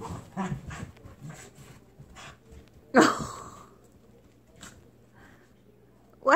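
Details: Two terriers, Captain Jack and Scarlett, indoors in a tug-of-war over a toy duck that turns into wrestling; low rough grumbling bursts in the first second, a sharp loud burst near three seconds trailing off, a further abrupt burst at the end.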